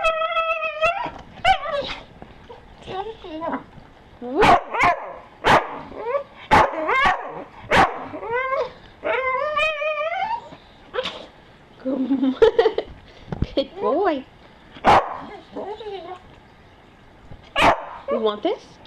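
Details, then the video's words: Staffordshire Bull Terrier offered breakfast, producing a mix of short yelps, sliding whines and occasional barks, irregularly spaced, with human speech mixed in between the dog's noises. "Staffy Sounds"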